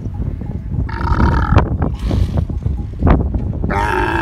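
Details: Camel making low, gurgling, burp-like rumbles throughout, broken by two brief harsher voiced bursts near the middle and end.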